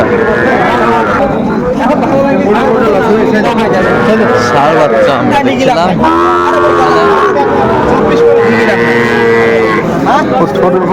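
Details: Small Sahiwal bull calves for sale at a Bangladeshi cattle market, 11 November 2024, a Dhaka farmer buying: repeated short and long nasal bellows from several calves, one clear sustained call near the end, with men talking and haggling throughout.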